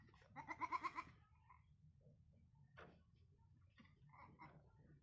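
A young goat gives one high, quavering bleat, followed by faint scattered sounds.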